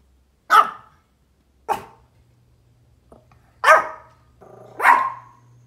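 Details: A Pomeranian outdoors gives sharp, high yapping barks, four in a row about a second apart.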